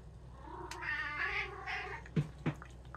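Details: A pet cat, one of three cats in a home, indoors, gives a long drawn-out wavering meow with rich harmonics lasting over a second, followed by a second shorter meow, then a few sharp clicks and taps.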